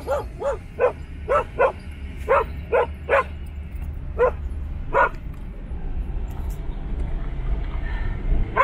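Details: Standard Poodles in Ketchum, Sun Valley, Idaho, barking outdoors: a run of about a dozen short sharp barks, roughly two per second, tapering off, over steady low rumble with one more bark at the end.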